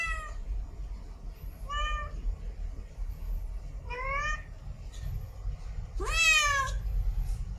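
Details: In heat, a female cat gives mating meows: short faint calls first, then a louder rising-falling meow and a final strong, wavering, drawn-out cry, over a low rumbling background.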